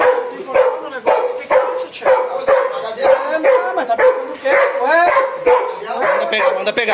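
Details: Female Belgian Malinois, adopted and formerly fearful, barks in protection training at her first bite. Loud, rough barks repeat about once a second in a steady run, with a trainer's voice mixed in.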